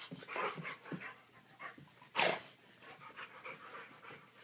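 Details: A domestic dog panting while wrestling playfully, heard as quick breathy huffs in irregular bursts, with one louder sharp exhale near the middle.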